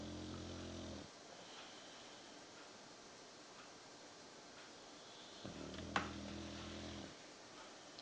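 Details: Sleeping Victorian Bulldog snoring indoors: two long low rumbling breaths about four seconds apart with a harmonic buzz, quiet room hiss between them and a brief click.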